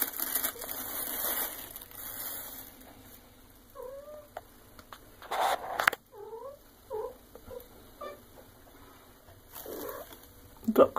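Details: Eight-month-old female Maine Coon cat at home while being fed; a series of short chirping meows in quick succession amid handling rustles and scattered clicks.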